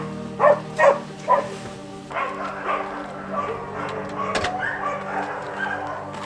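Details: Huskies at a dog sled tour kennel of about fifty dogs, let loose in a big playground; three sharp barks in the first second and a half, then a busy overlapping chorus of yips and calls with music.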